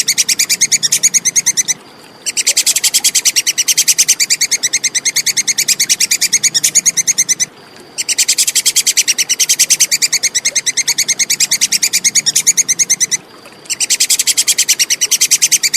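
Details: Tupai kekes, the Plantain squirrel, in a clear recording meant for teaching songbirds: long bursts of rapid, high, dry ticking notes, several per second, separated by three short silences.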